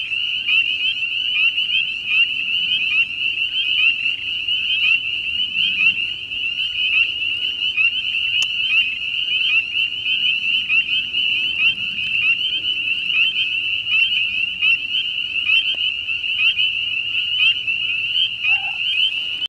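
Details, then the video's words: A dense spring chorus of spring peepers on a farm: countless high, piercing peeps from tiny frogs blending into one continuous shrill ringing. "Spring Peepers"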